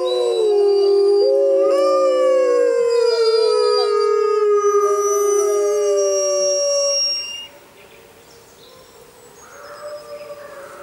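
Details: Gray wolves howling in the wild jungle under a full moon: long, steady, slightly falling overlapping howls for about seven seconds, then they stop, leaving faint distant calls and background hiss.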